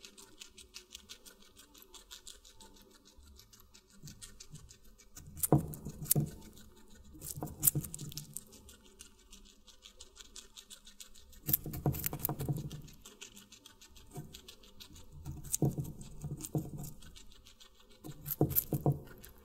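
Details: Guinea pig eating watermelon, recorded close up for ASMR: crisp, wet crunching bites come in short bursts around six, eight, twelve, fifteen and eighteen seconds, with a quiet low rustle between bites.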